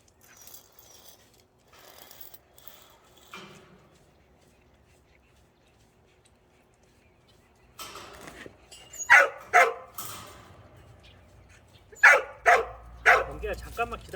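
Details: After a walk, the dog Cheondung is heard over a noisy background, starting with a quiet, hushed opening, then a run of sharp barks in two clusters, with the final barks coming fast and close together.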